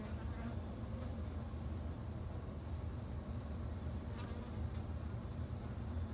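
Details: Japanese honey bees kept in a backyard hive in Japan: a steady, low droning hum with layered deep bands, unbroken and even in loudness for the whole stretch, with faint soft ticks above.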